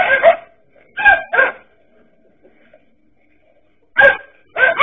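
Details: Dachshunds confronting a king cobra give short, harsh barks, one alone and then a quick double, fall silent for about two seconds, then bark twice more.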